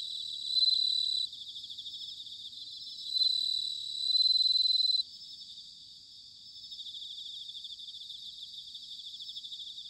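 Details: Bell crickets in autumn, Sanuki, Chiba Prefecture, Japan, singing in a thick high-pitched chorus; three loud pure ringing notes stand out, each lasting about one second, before the trill settles to a softer even shimmer.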